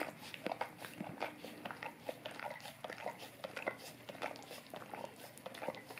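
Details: A golden retriever licks an Orapup tongue cleaning brush for tongue cleaning and fresher breath, in an ASMR recording. Quick moist laps come in rhythmic pulses, about one or two per second, with crackly, wet smacks.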